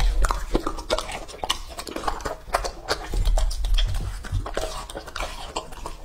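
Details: Raw meat being eaten by Lucky, a male English-type Labrador aged two and a half, recorded close up for ASMR: dense, irregular crunching and slurping clicks run continuously, with loud low thumps throughout.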